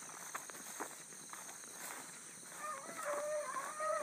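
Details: Early-morning rabbit chase by Bluetick Coonhounds, July 2012, the pack circling as it runs. Quiet rustling at first, then several far-off hounds break into long, wavering howled bays near the end over a constant insect hum.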